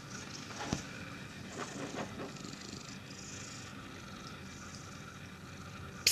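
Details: Domestic cat lying on a chair and purring: a soft, steady low rumble that continues throughout, with faint rustling and a sharp knock at the very end.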